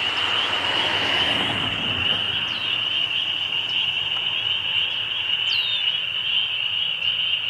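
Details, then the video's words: Really loud bunch of spring peepers calling together, their high piping peeps blending into one steady shrill ringing wall of sound, with occasional separate upslurred peeps cutting through. "Spring Peepers"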